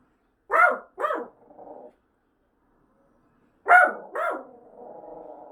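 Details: Household dog barking at the apartment fire-inspection siren while looking at the speaker: two quick double barks a few seconds apart, each followed by a low, rough, grumbling tail.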